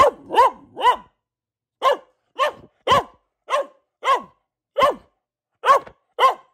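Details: A female Boxer barks persistently at home, opening with three rapid barks, then a slower chain of single punchy barks roughly every half second to second, clean with no other sounds.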